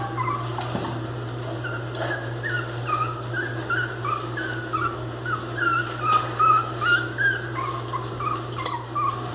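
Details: Angry miniature pinscher puppies whimpering: short, high whining cries, rising and falling, repeated about two or three times a second in an uneven run, over a steady low electrical hum.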